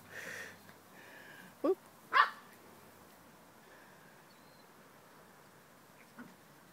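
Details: Excited puppies at play over a pine cone, one having just found it again; two sharp, high yips in quick succession near the start, then quiet with a faint later squeak and soft background noise.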